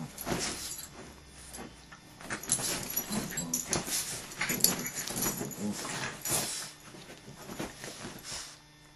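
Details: Dogs in a fight, rough low growls and snarls mixed with scuffling bursts and short whimpering yips, continuous noisy commotion indoors.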